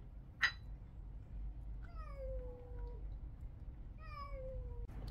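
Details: Indoor domestic cat from a household of young and older cats; two drawn-out meows, each starting higher and sliding down into a long steady tone about two seconds apart, with a sharp click before them and low background hum.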